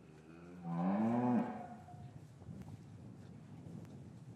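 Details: Cattle lowing in a traditional English cattle yard on a winter's afternoon, calves separated from their mothers; a single rich harmonic moo rising slightly then ending abruptly, under a second long, followed by quiet shuffling yard noise.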